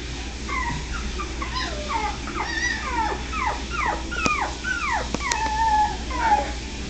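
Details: A group of Min Pin puppies from California whining in a busy chorus. Quick falling squeals overlap densely, mixed with a few longer level whines, two sharp clicks, and constant low background hum.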